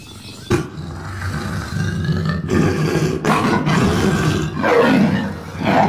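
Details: Lion (Panthera leo), roar.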